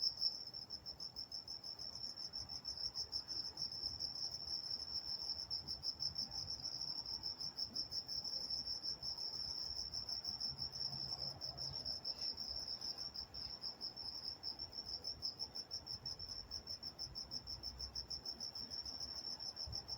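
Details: Crickets calling at night in Walnut, California, a softer, more distant high chirping with pulses running a little faster and less evenly, several overlapping callers against a faint low rumble.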